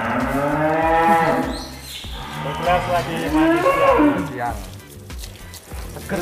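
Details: Angus cattle, described as the largest in Indonesia, lowing with several drawn-out, wavering harmonic moos that rise and fall, heard over background music and faint talk.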